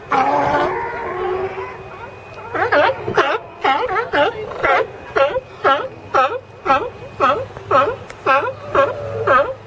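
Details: California sea lions on a crowded pile: after a blurred opening of mixed voices, one animal barks loudly and regularly, about two hoarse, wavering barks per second, for the rest of the stretch.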